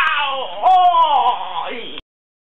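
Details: Two angry cats quarrelling, one letting out a loud, drawn-out harmonic scream of about two seconds that wavers, swells in the middle, then sags before cutting off abruptly.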